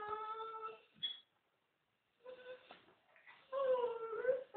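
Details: Staffordshire Bull Terrier named Tyson vocalizing indoors in a way meant as saying I love you: drawn-out, wavering tonal moans with rich harmonics, a brief pause, then rising and falling howl-like talking, loudest at the end.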